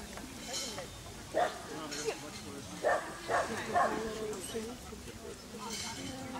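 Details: Dachshund (такса) in a recording linked to rabbit, barking in a loose series of short, sharp yaps, several clustered between one and four seconds, with a low steady hum and some background noise.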